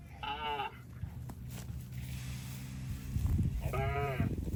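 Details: Cattle passing through water in rice fields: two short, nasal moos, one at the start and one near the end, with a low droning hum and splashing between them.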